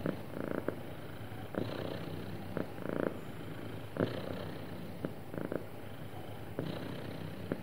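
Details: Sweet, happy cat purring: a soft, low continuous drone marked by repeated brighter pulses about once a second, some paired, with small clicking accents in between.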